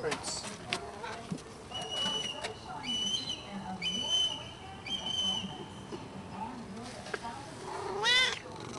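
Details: Pet cat lounging on a sunny balcony; a late, rising meow near the end follows several steady whistled tones and a person talking gently, with scattered clicks and background hum.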